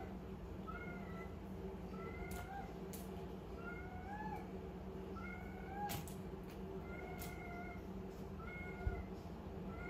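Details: Young calico cat at play with a small ball mews repeatedly, around eight brief high meows spaced roughly a second apart, with scattered sharp clicks and taps and a constant low electrical hum behind.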